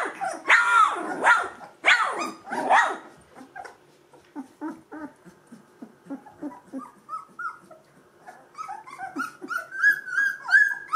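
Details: Gordon Setter puppies at two weeks old, E litter: loud squealing yelps at first, then softer, lower grunting whimpers in quick succession, ending with thin rising whines from several pups.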